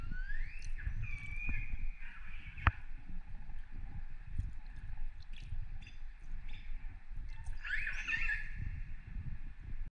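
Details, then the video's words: Wild, free orcas recorded underwater off northern Norway in December 2018, after dark. Drawn-out pulsed, harmonic calls with rising sweeps near the start and a squealing burst of overlapping calls near the end, over constant low water rumble and sloshing. "Wild free orcas audio sound"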